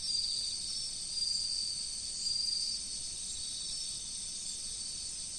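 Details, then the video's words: Autumn insects by flowing river water, their shrill continuous trill broken by three pulsed chirp bursts about a second apart at the start, then an even high drone. "秋の虫の音、川の流れ。The sound of insects in autumn, the flow of the river."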